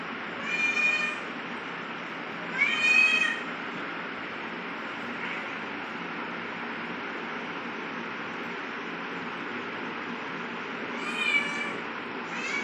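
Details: Cat named Chintu making aggressive sounds while fighting with Rosie: three strained, rising wails with harmonic bands, spaced by long pauses, over a steady broadband hiss.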